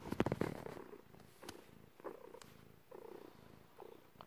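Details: Cat in labour, giving birth indoors, purring; a brief louder rustle opens, then a quieter low pulsing purr continues in uneven breath-length cycles with occasional soft clicks.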